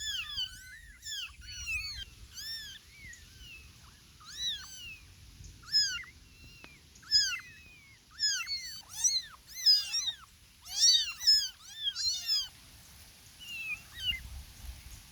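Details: Kittens with their mother, several meowing at once; dense overlapping high-pitched mews with bent, arched shapes, busiest in the middle, easing off toward the end, with faint low background noise and no music.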